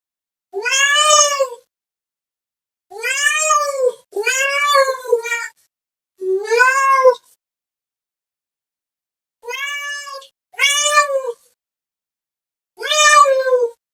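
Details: Cat meows calling another cat: eight loud arched meows, rising and falling in pitch, some delivered in quick back-to-back pairs with gaps of silence between groups.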